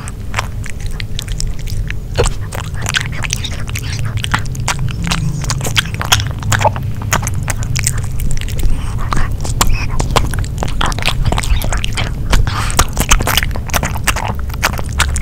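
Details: Grilled pork pouch eaten by the dog Nino in a quiet room. Crisp snapping bites and squelchy chewing come in irregular clusters, growing busier toward the end.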